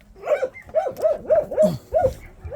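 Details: Pungsan dog at a shelter for abandoned dogs, giving a quick run of high, ringing barks, about six sharp yelps in under three seconds, each with a bright harmonic tone, fairly evenly spaced, no other clear sounds.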